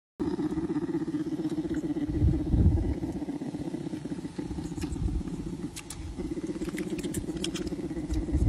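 A bear purrs in a steady, low, motor-like rumble with rapid pulsing throughout.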